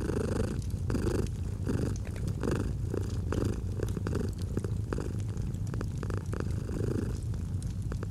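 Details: Close purr of a domestic cat with fireplace in a cozy autumn setting: low, even rumble pulsing with regular breaths about every 0.7 seconds, punctuated by clicking fire crackles throughout.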